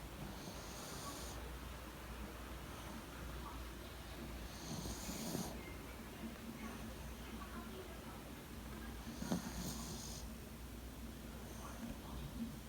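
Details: Sleeping Yorkshire Terrier curled up in its owner's bed on the morning of 28 February 2019; slow, gentle snores, each breath a hushed hiss returning about every four to five seconds in a quiet room.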